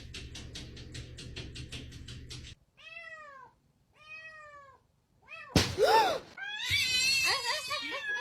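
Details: Domestic cat giving two drawn-out, arched meows with rich harmonics, each about a second long, after a stretch of rhythmic pulsing music; louder scuffling and a sharp rising cry follow.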